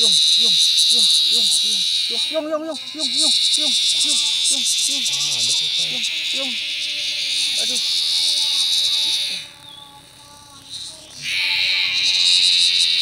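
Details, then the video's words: Loud giant cicada found while hunting insects in a field, giving a shrill continuous drone that cuts out abruptly for about two seconds near the end, then resumes; Indonesian speech runs over the first half. "catch giant cicadas with very loud sounds"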